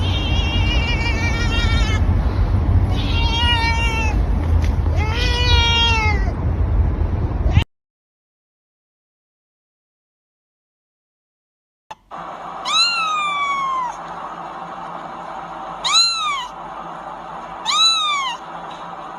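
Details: A cat meows several times against loud low background noise, then after silence gives three sharp, downward-sliding meows spaced a couple of seconds apart.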